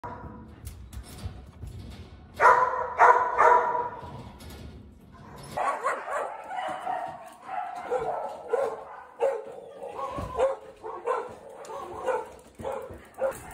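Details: Australian Cattle Dog named Jonnie, up for adoption, 14 March 2024: a loud pair of harsh barks early on, followed by a run of shorter, irregular barks and yelps with a steady noisy background.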